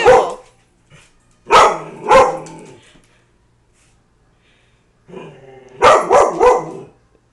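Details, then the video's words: Frightened pet dog confronting a cardboard cutout of a man at home; a single bark, then two loud barks, silence, a low growl building into a rapid burst of three barks. "My Dog Barking at My Rob Pattinson Cutout"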